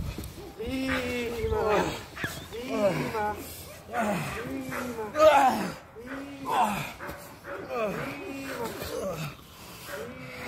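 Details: Clara, an eight-month-old working Presa Canario puppy during security dog training, barks in a loose series of deep, arched, harmonic barks, roughly one every second or so, overlapping with people's voices.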